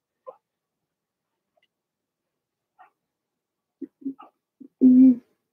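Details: Blenheim Cavalier King Charles Spaniel puppies from Remy's first litter of six, two females and four males born March 7–8, in an indoor puppy pen: scattered short high squeaks, then a few quick whimpers ending in a loud, sustained whining yelp.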